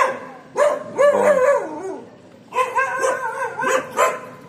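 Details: Labrador Retriever on a leash walking training session in Bangalore, India, giving two loud drawn-out harmonic whines, each about a second and a half with bending, wavering pitch, separated by a short pause, plus a few shorter yelps.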